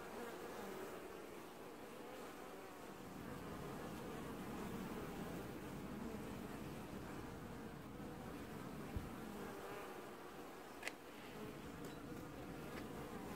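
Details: Honey bees washboarding at their hive in an apiary in early July 2019, the only colony doing so; a continuous dense hum swelling slightly in the middle, with faint ticks.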